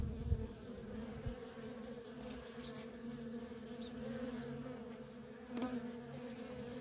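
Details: Worker honey bees in nonstop traffic at a feral colony, a steady droning hum with strong low harmonic bands, individual bees swelling louder as they pass close, with a few soft thumps.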